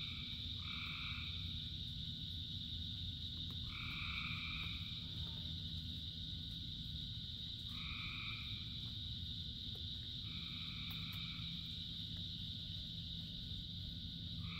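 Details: Frogs calling in rain: steady high chorus with a separate two-toned call, a drawn-out note roughly a second long, repeated several times at irregular gaps over dense low rain patter.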